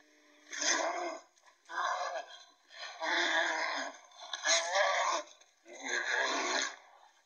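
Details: Finnish brown bears fight, giving harsh, rasping aggressive roars in bursts about a second long.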